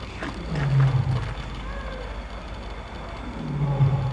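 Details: Low, moaning tiger calls from İzmir Doğal Yaşam Parkı, Turkey: two short, deep groans near the start and end, separated by a quiet stretch with faint background noise.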